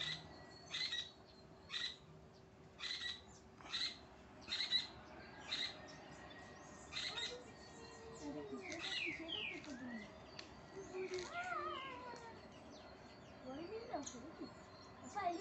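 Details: Marmosets being fed give high, thin chirps and quick sweeping twitters over a run of sharp clicking taps.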